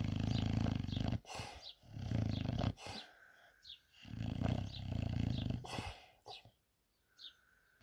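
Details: Sebastian, a lazy English bulldog, snores while asleep: loud, deep, rasping rumbles roughly a second long, separated by short quiet gaps, with faint high descending chirps in the background.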